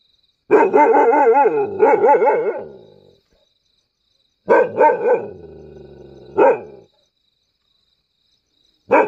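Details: Mudhol hound, also called caravan hound, barking in three bouts: long, strained, wavering barks that run together, then a pause, a shorter burst with a trailing whine, and a final bark cut off at the end, against a quiet background.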